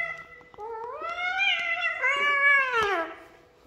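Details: Frightened kitten meowing in one long drawn cry that rises, holds, then falls away over about three seconds, with faint clicks in the background and a person urging it to come.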